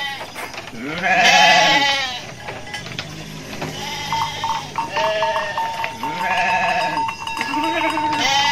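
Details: Garut sheep in a rice-field area, dozens running while rams rage; repeated nasal, wavering bleats at irregular intervals, with a steady ringing tone and clattering in the background.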